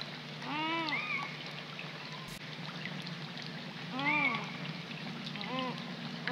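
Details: Juvenile coypus calling by a pond on a rainy March 2020 night. Three arched, mewing cries, each rising and dropping in pitch, about every two to four seconds, one trailed by a thin high whistle, with continuous rain noise behind.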